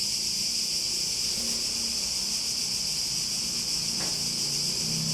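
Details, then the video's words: A chorus of cicadas gives a continuous piercing buzz. Soft low hums and a brief click near the end sit underneath. "Relaxing Sounds With Cicadas"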